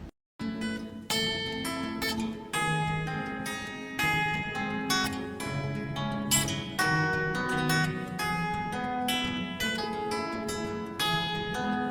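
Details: Plucked string music, guitar or zither-like, plays a gentle melody with layered chords after a brief silent start, and no animal is heard.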